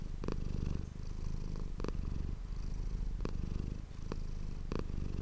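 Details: Domestic cat named Manis purring, recorded indoors on an ASMR microphone: a continuous low rumbling purr with pulsing grain, broken by brief breathy pauses about every one and a half seconds, marking each breath.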